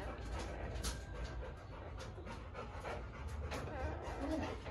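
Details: Akita dog panting heavily while giving birth indoors, rapid irregular breaths about two per second, with low background rumble and faint voices nearby.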